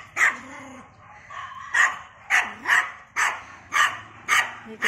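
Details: Poodle on a cloudy Sunday morning walk, barking repeatedly in sharp, evenly loud yaps, about seven barks roughly every half second to second, with a faint low voice between them.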